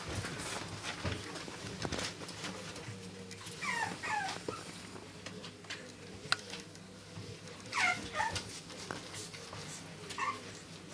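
Chihuahua puppies give thin, high whimpers that waver and slide downward in short bursts.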